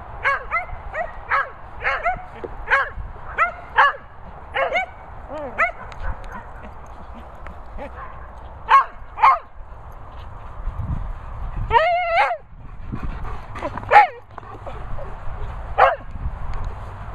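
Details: Cocker Spaniels Daisy, Benji, Harley and Millie, at a Worcestershire countryside dog training and boarding kennels, giving a run of sharp, high, yelping barks in quick bursts, some rising and wavering, with pauses between volleys and low background rumble.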